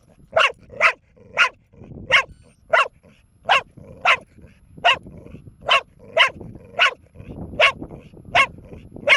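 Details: Relentless barking from Bear, a four-year-old female dog: around seventeen short, sharp barks in a brisk, slightly uneven rhythm, with no real break.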